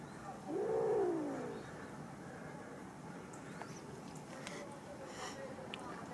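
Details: Kitten giving one drawn-out meow that rises and then falls over about a second, followed by quiet background hiss and a few faint clicks.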